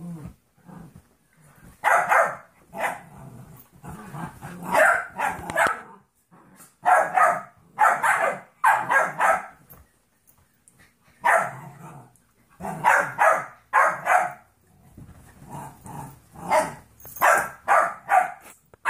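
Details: Trouble, a 14-week-old golden retriever mix puppy, and Monkey, a 2.5-year-old jack russell/rat terrier mix, wrestle playfully. Repeated clusters of rough barks and snarling growls come in irregular bursts with short quiet gaps.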